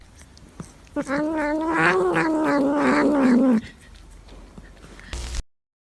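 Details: A cat gives a single long, drawn-out meow lasting about two and a half seconds, harmonic and fairly steady before sliding slowly lower in pitch, followed by quiet and a short burst of noise near the end.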